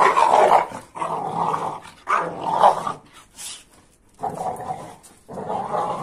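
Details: Rough play between an AmStaff and a Kuvasz: loud, rasping growls in long sustained bursts, four of them across six seconds, broken by short silences.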